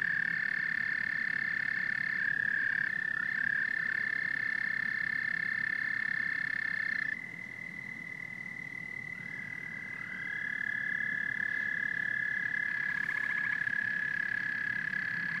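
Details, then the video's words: A dense chorus of frogs and toads, an unbroken high-pitched drone with occasional rising notes and a faint rattling burst, dropping suddenly in loudness partway through before building again. "Frogs and Toads Symphony"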